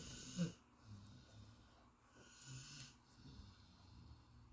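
A Golden Retriever snoring in deep sleep, with low, rumbling breaths rising and falling.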